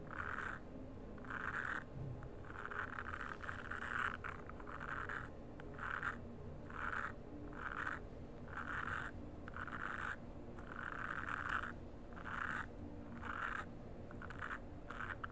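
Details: Frog calls in a nature sound recording: raspy mid-pitched bursts repeated roughly every half second to second, steady and chorus-like throughout, over a low rumbling background hum.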